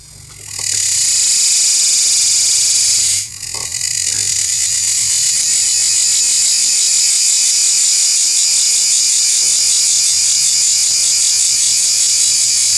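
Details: Close-up recording of a cicada making its sound: an intense, sustained high-pitched buzz that switches on within the first second, dips briefly around three seconds, then drones on steadily to the end.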